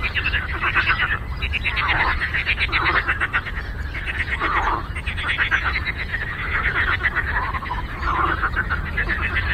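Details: Chorus of many frogs on a lake: overlapping rapid pulsed croaks in dense rattling trains, rising and falling in waves without pause, over a steady low background rumble.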